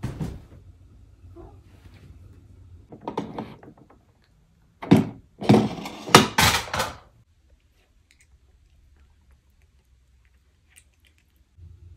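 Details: Mechanical clunks and thumps, with a few short bursts of rattling noise and then near silence.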